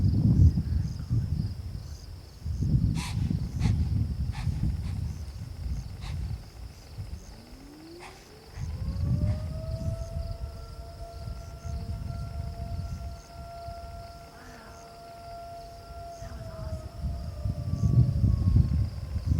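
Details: Deer during the rut in a park, a long rising tonal call climbing then holding steady for several seconds, between bursts of low rumbling wind noise.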